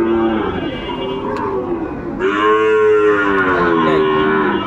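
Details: Sahiwal bull calves at Ambari cattle market in Dinajpur, Bangladesh, in March at the start of Ramadan: long harmonic moos rise and fall, one near the start and a louder, drawn-out one from the middle to the end, over steady market noise.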